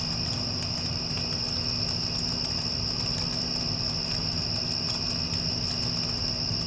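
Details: A constant shrill chorus of crickets after a passing storm, steady throughout, with an air conditioner droning in the background.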